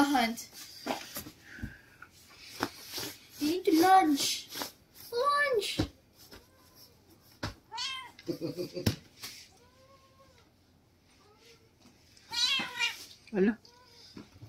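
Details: Noisy Siamese cats wrestling at home; several drawn-out, arching meows rise and fall in pitch, spaced a few seconds apart, mixed with people talking and laughing nearby and scattered thumps.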